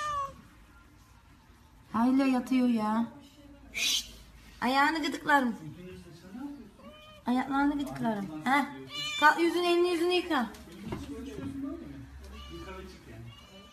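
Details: Pet cat meowing repeatedly in a small room: long, strained calls that rise then fall, coming in bursts a second or two apart, mixed with people talking nearby.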